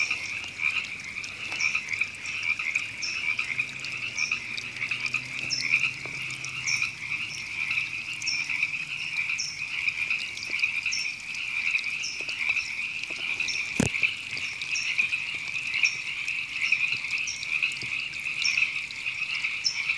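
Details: River frogs calling at Temescal Canyon Park, Los Angeles, California, in April 2017: a dense, continuous trilling chorus with many overlapping callers, plus short, higher repeated chirps every second or so and a sharp click near the middle.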